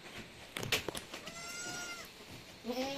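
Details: Goat at a farm in San Carlos City, Negros Occidental, Philippines, during kidding, with seven kids born in one day. Anglo-Nubian goat farm. A short wavering harmonic bleat near the end follows sharp clicks and a brief rising tone. Faint music is in the background.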